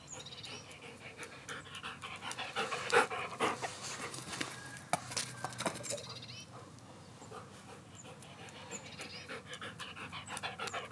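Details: A 3-year-old male Belgian Malinois, filmed during ball play, pants rapidly and breathily at an irregular pace through most of the recording. A brief tonal whine or yelp comes near the start, over faint scuffling and background noise.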